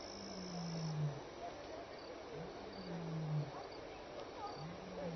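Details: Lion near Elephant Plains Game Lodge, South Africa, during evening contact calling and return calls on 26 May 2011. Low, hollow grunts slide downward, repeating about every two seconds, fainter and somewhat distant, over steady background hiss.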